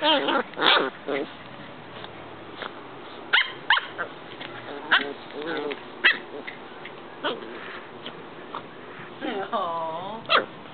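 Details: Two Corgi puppies playing together indoors; short sharp yips and barks in irregular bursts, a quick run of them near four seconds, then whiny wavering cries near the end, with a person talking in the background.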